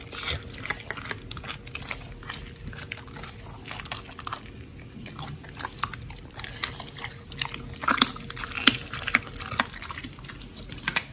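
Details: Pit bulls Oli and Nommy feeding on raw food, giant white snapper included, on October 21, 2023: irregular crunching and clicking bites, quieter mid-way, then a burst of loud snaps toward the end, with a faint background hum.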